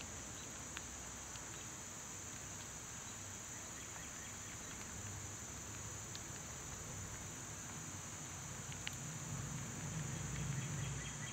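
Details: Cicadas in summer, loud at this time of year, make an unbroken shrill drone high above the ground noise, with occasional brief clicks and a low hum that swells near the end.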